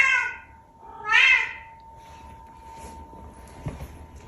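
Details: Pet Bengal cat, noted as very vocal and making weird sounds, lets out two meows: a short one then a louder, rising-falling drawn cry, followed by quiet room noise and a faint click.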